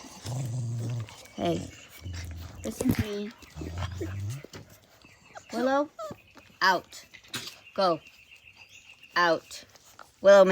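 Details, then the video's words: Australian Cattle Dog puppies, Blue Heelers, playing: a run of short high yelps and yips with bending pitch, mixed with a man's voice talking to them. "Cattle dog puppies- ACD AUSTRALIAN CATTLE DOGS Blue Heelers"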